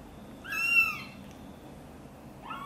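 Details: Domestic mother cat, angry as her kitten Guitar is helped out of a box and carried close to her: one clear, high, harmonic-rich meow that bends downward, then the start of a second rising meow at the end.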